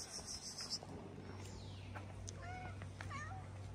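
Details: Stray tiger cat on a street in Morocco, fed by a person who cares for homeless cats; a short sweet meow rises then falls, then a second quick meow follows, over steady low hum, with a person's greeting nearby.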